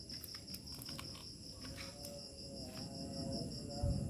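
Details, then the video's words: Evening village crickets at nightfall give a steady high trill that drifts on and off, faint against a heavy low rumble, with scattered clicks early on and a rising thump at the close. "SUARA JANGKRIK SENJA MENJELANG MALAM"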